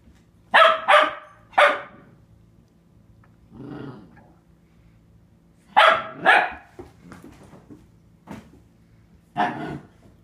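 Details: A 4-month-old female Catahoula Leopard Dog puppy barks at her own reflection in a bathroom mirror, sharp high barks in quick pairs with a soft low grumble between, seemingly worried the mirror puppy will steal her toys.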